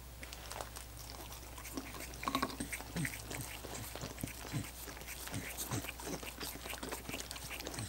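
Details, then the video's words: Coconut water popsicles being licked by dogs, with scattered moist smacks and short chewing-like sounds, a louder cluster around two seconds, then steadier licking over a low hum. "ASMR Dogs Licking Coconut Water Popsicles"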